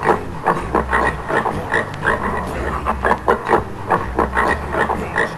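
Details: Rapid coarse grunting from a Swedish wild boar, short snorting bursts repeated in uneven runs, against a low continuous droning background.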